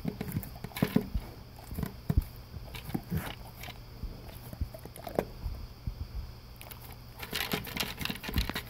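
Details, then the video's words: Dry breakfast food crunched by a male English cream golden retriever eating from a blue ridged slow-feeder bowl; sparse sharp crunches and pellet rattles, busier clattering near the end, low constant hum beneath. "Crunch Crunch - Golden Retriever Eating His Breakfast"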